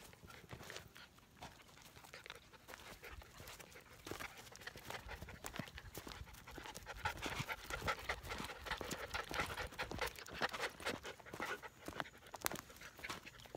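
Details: Standard Poodle puppies, 13 weeks old, walking on a hiking trail; quick breathy panting bursts, roughly two per second and uneven in rhythm, mixed with footfalls and rustling on the path.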